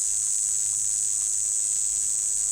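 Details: Kuliglig, a cricket or cicada that got inside a house, making a loud, continuous high-pitched ringing buzz, steady and unbroken throughout, nothing else audible.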